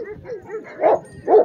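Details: Heavy-bodied red Afghan Kochi and Bully mix dog: a few low, soft calls, then two louder, rough barks about half a second apart.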